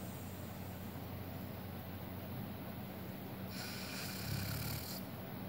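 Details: A Siberian Husky sleeping in an odd position snores in a low, steady rumble, with a brief hissing breath partway through; the recording was made right by his nose.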